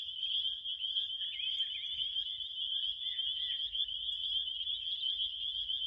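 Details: A dense cricket chorus forms one continuous high-pitched ringing drone, with faint quick chirpy flickers layered over the steady trill and a soft low rumble underneath.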